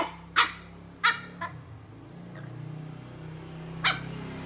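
Short, sharp barks from a Chow Chow come in an uneven run, two close together, then a softer one, then a pause before a last bark. A low, steady hum runs underneath.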